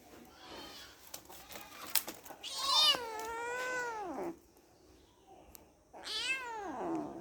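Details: Kittens playing with each other indoors; two loud drawn-out meows, each rising then falling in pitch with rich harmonics, the first about a second and a half long, the second starting near six seconds, over soft rustling.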